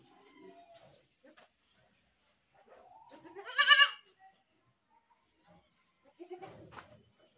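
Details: Goat screaming with a single loud, strained bleat that rises into a harsh peak, followed by a fainter, shorter bleat a few seconds later; quiet background otherwise.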